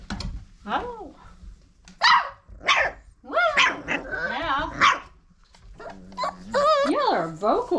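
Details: A litter of Old Family Red Nose Pit Bull puppies, five weeks old, offspring of Abby and Ragnar, keep up a chorus of rising and falling squeaky whines and sharp yips, broken by brief pauses, while a person chats softly.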